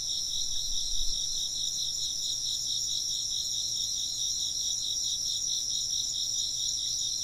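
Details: Chirping insects form a steady high-pitched wall of trills, the lower one pulsing quickly and evenly, with a soft low thump near the first second.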